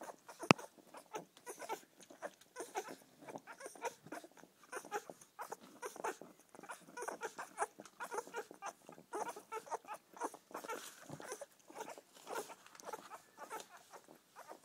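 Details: A litter of seven English Springer Spaniel pups feeding from their mother Poppy keep up a continuous chorus of tiny squeals, whines and grunts, overlapping and irregular, with one sharp knock early on.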